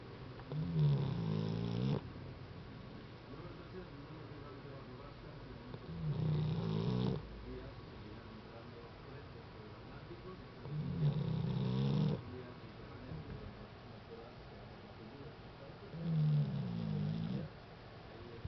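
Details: Sleeping dog snoring: four deep, rumbling snores, each lasting one to two seconds, recurring roughly every five seconds with quiet breathing in between, in a still indoor setting.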